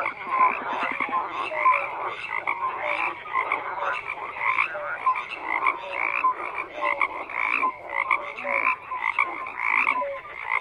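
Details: Many frogs croaking together in a continuous rattling chorus, pulsing rhythmically, with scattered short whistled notes rising above the mass of calls.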